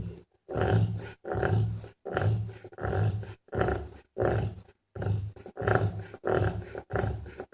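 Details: A snoring mother dog rests with her sleeping puppies after a tiring day. The short, rough, low snorts repeat steadily, about one every three-quarters of a second.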